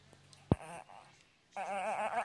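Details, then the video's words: A sweet pup making a gremlin-like noise: a sharp click, a brief nasal note, then a sustained warbling, wavering vocalization with rich harmonics rising and falling in rapid undulations. "Gremlin dog"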